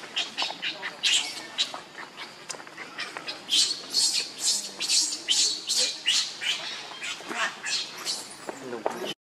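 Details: Baby monkey Leo, very hungry, crying and begging its mother for milk: a fast, uneven run of shrill, high squealing cries, about two to three each second, with faint human voices in the background.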